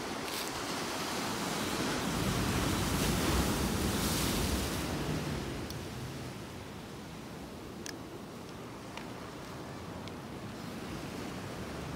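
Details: Ocean surf rolls steadily on the Monterey, California coast, a broad hiss of breaking waves and wind buffeting the microphone that eases after about five seconds, with a few faint clicks and no animal voice.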